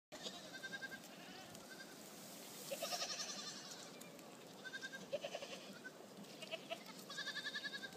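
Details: Happy goats at Lien in Øystre Slidre, Valdres, Norway; several wavering, nasal bleats from more than one animal, scattered through the recording at irregular intervals, with soft rustling in between.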